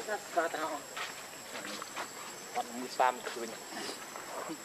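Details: Baby monkey Leo, hungry and begging its mother for milk, gives short tonal whimpering cries in wavering bursts, louder near the start and around three seconds, over a faint steady high hiss and background chatter.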